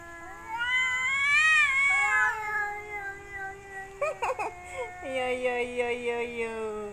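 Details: Cats in mating season, one female among three males, looking for a mate: a long, drawn-out wailing yowl that rises then falls, followed by shorter wavering cries. Background music is present.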